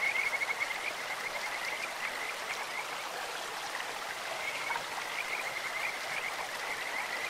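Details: Bird-like calling of Kajika frogs beside a stream: a short burst of high pulsed notes at the start, later fainter trills, all under continuous water sound.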